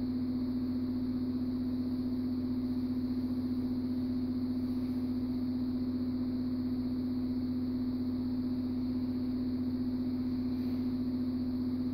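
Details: A steady low mechanical hum drones on without change throughout, like a running engine or appliance, and no animal voices can be heard.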